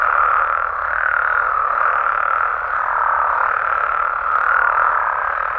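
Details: Nighttime chorus of Mexican frogs and toads: unbroken, buzzy croaking from many callers merges into a steady drone that swells and eases slightly over several seconds.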